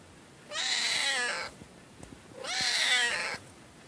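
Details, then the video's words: Two drawn-out, pitiful cat meows, each about a second long with a slightly rising then falling tone, separated by a two-second pause and faint background hiss. "Pitiful cat meow"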